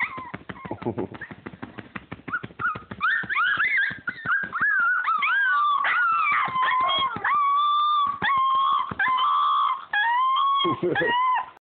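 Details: Siberian Husky pups aged 28 days, scrabbling noises giving way to sustained wavering puppy howls, long sliding notes rising and dipping, several held steadily for about a second each.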